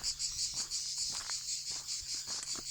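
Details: Crickets accompany a walker in the south of France, singing a continuous high, shimmering trill with a fast throbbing pulse, over soft scattered clicks and taps.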